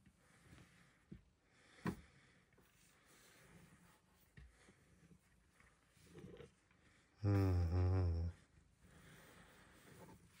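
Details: Luxe, a female Bengal cat, chirps indoors one morning, excited to get attention on her petting shelf. About a second of rippling, buzzy trill stands out from quiet room noise, with faint rustles and a soft human greeting earlier.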